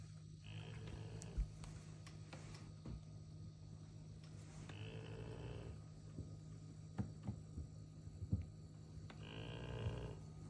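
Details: Golden retriever napping and snoring: rough, breathy bursts recur about every four and a half seconds over a low steady hum, with faint clicks between breaths.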